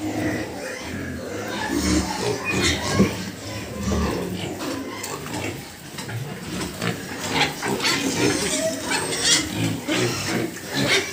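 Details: Pigs in a farm pen grunt and snuffle in quick, uneven bursts that rise and fall, while a human voice talks over them.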